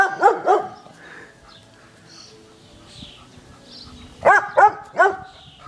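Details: Pet dog in a garden barking at balloons on the fence: two quick, sharp, ringing barks, a quiet pause with faint high chirps, then three more barks in fast succession.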